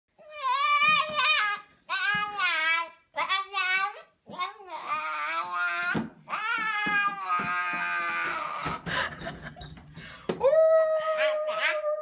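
A Siberian Husky puppy gives a string of wavering, whining howls that crack and break into squeaks.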